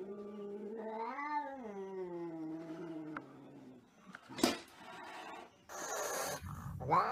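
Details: Angry cat letting out a rising then falling yowl that sags into a low drawn growl, followed by scuffling noise and a sharp hiss-like burst near the end.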